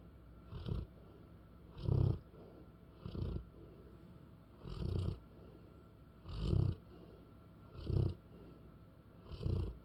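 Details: A spoiled pet English Bullmastiff named Molly snores steadily, with low guttural rasping pulses about every one and a half seconds, some louder than others, with no other sounds nearby.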